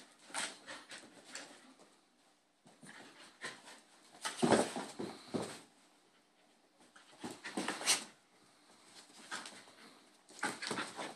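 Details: Indoors, two Bull Terrier puppy brothers play-fight, the little one picking on the big one. Breathy huffs and whimpering grunts arrive in clustered bursts, the loudest scuffle midway, separated by brief near-silent gaps.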